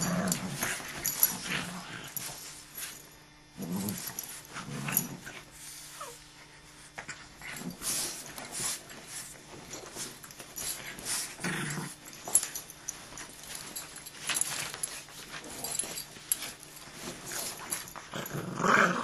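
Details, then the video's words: Dogs in a fight, low rough growls rising and falling in uneven bursts with snuffling and scuffling noises between them, a few louder snarls near the end. "Pork Bean Fight"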